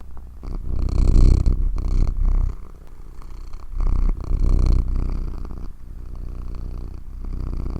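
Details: Domestic cat purring steadily, a deep low rumble pulsing in quick rhythm, growing louder and softer in long waves as the cat breathes in and out, with a few faint rustles and no other voices.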